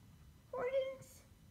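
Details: A pet Korat cat utters a single short, clear meow, steady and slightly nasal, followed by a faint breathy hiss.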